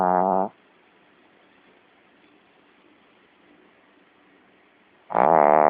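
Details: Sleeping Shih Tzu snoring: two short, buzzy, harmonic-rich snores about half a second each, one at the start and one near the end, separated by over four seconds of near silence.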